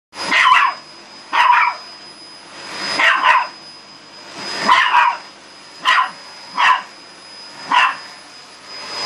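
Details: Dog barking aggressively at a running vacuum cleaner indoors; short, harsh barks in pairs and singles, about every second, over a steady high machine whine and hum.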